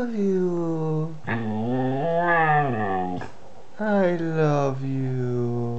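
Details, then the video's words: A Siberian Husky aged two 'talks' in a series of drawn-out, wavering woo-sounds, each a second or two long, with bending pitch and short breaks between phrases. "Siberian Husky talking"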